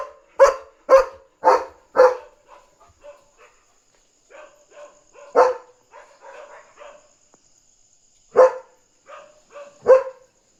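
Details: Night-time German Shepherd on alert, barking to signal a dog outside and protect its territory. Four rapid loud barks lead into quieter broken yelps, with single strong barks near the middle and end over a faint constant high whine.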